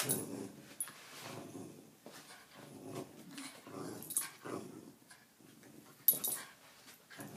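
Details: During a tug game, a Jack Russell Terrier gives short, gritty growls in irregular bursts, with gaps of quiet between pulls and occasional sharp clatter from the toy.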